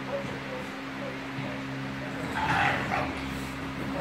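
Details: Bulldogs at play: a mother and her puppy Ruby, who wants his mother to play with him. A short, high, yelping burst comes past the middle, over a steady low electrical hum.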